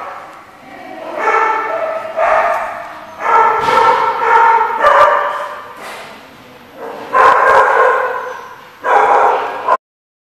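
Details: Dogs at The Barking Lot, recorded 21 July 2014, barking in loud, harsh bursts of one to two seconds separated by short gaps, with faint human voices underneath.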